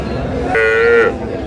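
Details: Cattle at Aftabganj cattle market in Dinajpur, where cows with calves are for sale, April 11, 2026: one short, steady, tonal moo of about half a second with rich harmonics, set against a low murmur of market voices.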